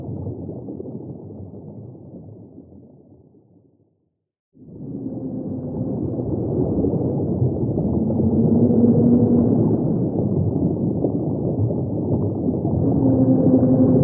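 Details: Singing humpback whale: drawn-out low tonal moans, a few held notes around the middle and again at the close, rise out of heavy underwater rumble after a brief silent gap.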